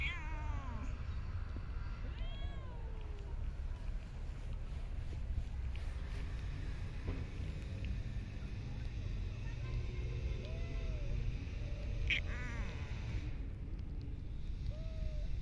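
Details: Street and park cats being fed outdoors: several short arched meows scattered through, some rising then falling, over a constant low rumble of traffic-like background noise.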